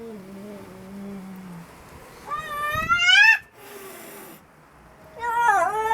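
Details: Angry cat yelling and screaming: after a faint low drawn-out tone, a loud rising, strained wail bursts out, then a second wavering yowl begins at the end, in a quiet indoor setting.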